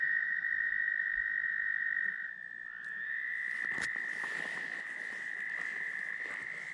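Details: Tree frogs singing very loudly at Steusser Lake, Michigan, heard during a stop on a motorcycle ride: a dense, unbroken high trilling chorus that drops in loudness after two seconds, then swells steadily again, with a few faint clicks.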